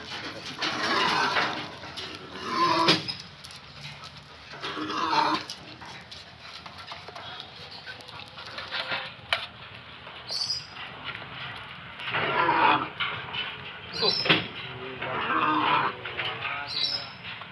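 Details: A baby sun bear gives breathy, whimpering whines in short bursts while eating a boiled egg, with a person speaking nearby.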